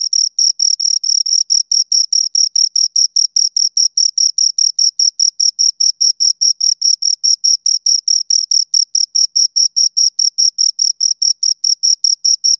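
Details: Pair of crickets giving a continuous run of rapid, high, shrill chirps, evenly spaced at roughly two or three per second, against a silent background.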